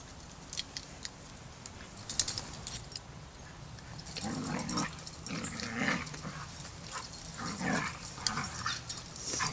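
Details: Young pup Rammstein, new to pack etiquette, during his first lesson with the pack at Border Collie Boot Camp: after a quiet start with scattered ticks, a run of rough growling and barking bursts follows.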